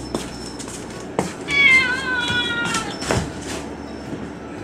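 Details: A stray cat by the sea waits alone for food on a windy evening as darkness falls. One clear, drawn-out meow rises and then falls, preceded by faint taps, with a soft background hiss.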